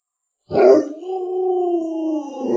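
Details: Alaskan Malamute named Lolo, a family pet kept at home with a small child, gives a sudden loud vocal onset, then a long steady harmonic howl-like moan held for about two seconds at an even pitch.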